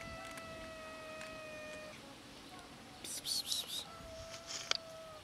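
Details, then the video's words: Hungry cat outdoors giving long, steady, flat meows lasting about two seconds each, one at the start and another from four seconds on, with brief sharp noise bursts between them and a faint hum underneath. "Cats meowing from hunger"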